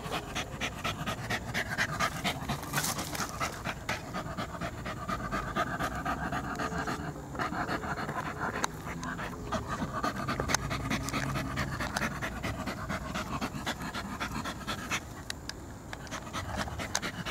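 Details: Long stretch of a poodle's panting, rhythmic hoarse breaths around two per second, briefly easing midway and then resuming, over steady low background rumble.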